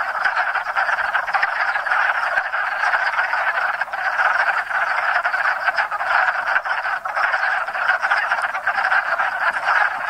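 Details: Hundreds of wood frogs chorus at a small pond in Enosburgh in spring, mating after wintering frozen in leaf litter of surrounding woods; an unbroken wall of rapid, overlapping quacking croaks holds steady throughout.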